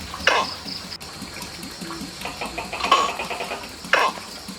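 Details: A nocturnal Tokay gecko (Gekko gecko) of Southeast Asia gives loud, abrupt, croaking barks in short bursts against a low background hum, a territorial signal to rival males and mating call to females.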